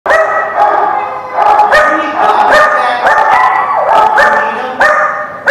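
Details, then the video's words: Several dogs in a dog lot giving overlapping, tonal barks and yelping cries, each lasting up to half a second and coming in quick succession with no quiet gaps. "The Barking Lot"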